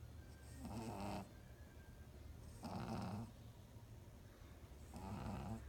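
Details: Pug asleep and snoring, three rasping low snores each lasting about a second, evenly spaced roughly every two seconds, with quiet gaps of breathing between them.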